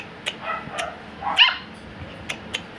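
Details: Siberian Husky puppies, offspring of Blessy and Lexus, indoors in early 2023; a brief squeaky whimper rises near the middle, surrounded by faint high yips and sharp tapping clicks.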